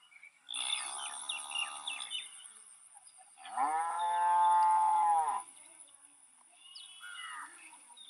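A cow gives a rough, wavering low, then a long, steady moo of almost two seconds; a faint high whine runs throughout.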